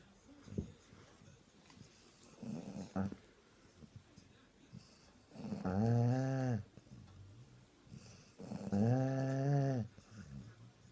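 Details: Sprollie dog napping indoors on Christmas Day after a hard day of eating, snoring very loudly: two long, droning, buzzy snores about a second each, separated by quieter rasping breaths and small snuffles.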